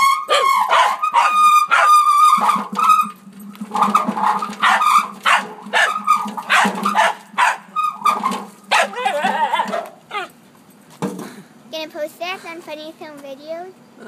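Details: A pet dog named Oliver barking at a wheelbarrow in his backyard: a run of insistent barks, about two or three per second, then fading into softer wavering whimpers and whines at the end.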